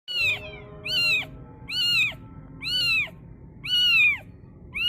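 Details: Kitten screaming on hearing the Islamic call to prayer; loud, arched, harmonic-rich meows rise and fall, repeated about once a second over a low background hum.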